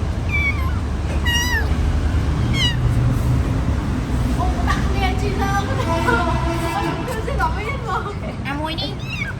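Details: Pet kittens, now grown big enough to walk, give several high, arching meows in the first few seconds, then quieter mews under people talking in Khmer throughout.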